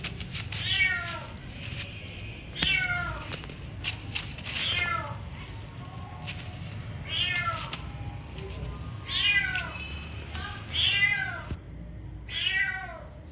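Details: Kitty meowing repeatedly, about eight drawn-out falling meows at uneven intervals of one to two seconds, with a low background hum and a few soft clicks.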